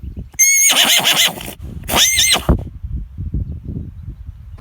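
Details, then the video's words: Horse neighing in two loud, harsh bursts, each about a second long with a high, bright edge, separated by a short gap, followed by quieter low rumbling and background noise. "Funny horse neighing sounds"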